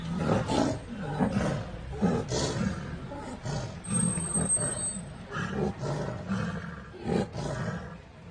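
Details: Tigers locked in a fight give a run of deep, rasping growls and snarls in bursts about every half second to a second. A thin, high whine briefly cuts in midway.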